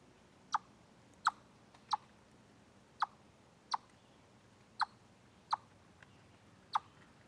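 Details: Chipmunk on the Deer Trail live stream, 27 August 2013, calling a run of about nine short, snappy chips at slightly irregular spacing, mostly under a second apart, over quiet ambient noise.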